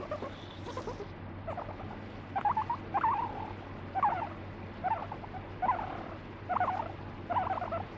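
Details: Pet guinea pig that bites and pees when petting is neglected; soft chattering bursts early, then regular stuttering pulsed calls with a brief whistled lift in each, roughly every seven-tenths of a second, over a low hum.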